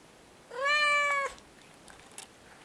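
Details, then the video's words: Siamese cat answering a person who asks it to say bye: one loud, sustained meow under a second long, rich in harmonics, steady and slightly falling at the end, followed by quiet room noise. "Talking with a Siamese Cat"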